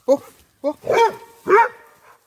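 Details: Labrador Retriever Tobby near a cow gives a quick run of four short, harmonic barks within about two seconds, the later ones longer and fuller, with possible voices mixed in.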